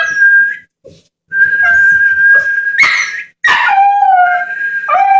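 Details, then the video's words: Jack Russell Terrier puppy howling along to whistling: a sustained human whistle, then the puppy's rising yelp turning into a long falling howl with layered harmonics, a second howl starting at the end. "Puppy howling to the sound of whistling"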